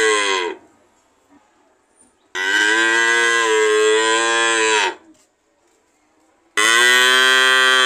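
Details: Cattle moo: a call ending at the start, then a long steady moo of over two seconds with a slight pitch drop, and a third loud call beginning near the end; otherwise near silence.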